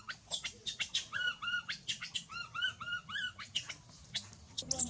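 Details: Baby monkey Mila crying loudly after being bitten and mistreated by her mother: rapid series of shrill, arched screams with strong harmonics, some steady wavering cries held briefly, repeating almost without pause.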